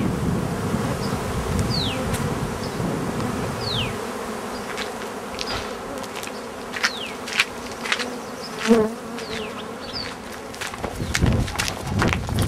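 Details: Bees give a low steady buzz, while several birds add descending whistles and chirps and occasional knocks and clicks sound nearby.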